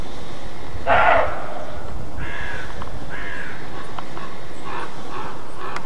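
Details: Roe deer giving an alarm bark, called 'Schrecken' in German: a single harsh, broadband bark about one second in, over steady low rumbling background noise, with a few faint higher chirps afterward.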